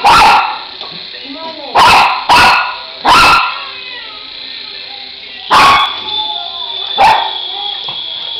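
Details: Julie the poodle confronting a small Dragon Fly remote-control helicopter, giving six abrupt barks spaced irregularly over about seven seconds, some in quick pairs, with a thin high motor whine persisting between them.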